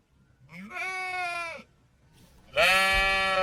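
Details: Sheep bleating twice: a short rising wavering bleat, then after a brief pause a louder, longer harsh bleat rich in harmonics, with faint background noise.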